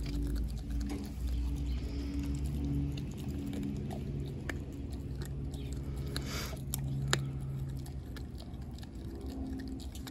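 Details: Four-month-old American Blue Bay Shepherd puppy Denali gnawing her raw turkey neck: dense irregular crunches and bone snaps about four per second, one sharper crack near the end, with a faint low background hum.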